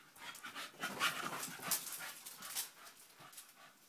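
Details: Nine-month-old Staffie pup Honey playing with sellotape, giving soft airy panting breaths in uneven pulses, with scattered crisp crinkling and tearing noises throughout the short stretch.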